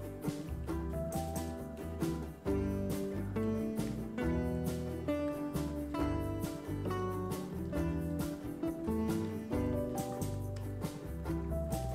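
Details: Gentle acoustic guitar music with a soft bass line plays throughout, with no kitten sounds heard.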